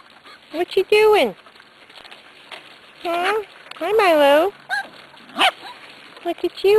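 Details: Weaned Corgi puppies, six weeks old, let out three loud arched yelping barks that rise and then fall. Between the barks come fainter squeaks and a person's chatter.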